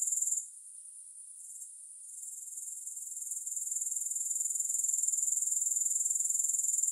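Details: Grasshoppers with no music: a thin, very high, rapidly pulsing buzz that drops sharply after half a second, then slowly swells back to full strength over the rest of the stretch.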